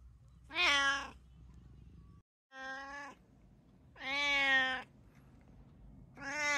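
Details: Domestic cats, one of three living together (a brown tabby, a Munchkin and an Abyssinian), meowing indoors: four loud harmonic meows spaced about two seconds apart, each roughly half a second to a second long, with a quiet background between calls.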